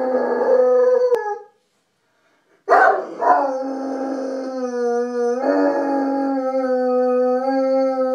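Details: A Saint Bernard gives long, sustained howls with rich harmonics, wavering slightly in pitch, howling along with a distant siren that cannot be heard in the recording.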